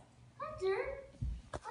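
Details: English Bulldog whining indoors next to a Labrador: one short, nasal, tonal whine lasting about half a second, its pitch bending up and then down, followed by a dull low thump and a brief scuffling noise.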